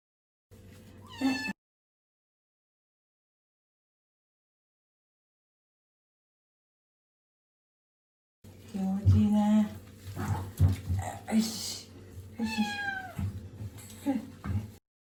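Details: Komugi, a male Scottish Fold cat born December 24, wails during his first bath; he dislikes water and the shower. One brief cry, a long silence, then repeated harsh, wavering cries that rise and fall in pitch, mixed with a person's soothing voice.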